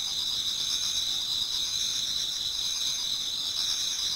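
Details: Many autumn insects singing in a Japanese garden towards dawn: a dense, steady high-pitched chorus of overlapping trills and buzzes with no pauses.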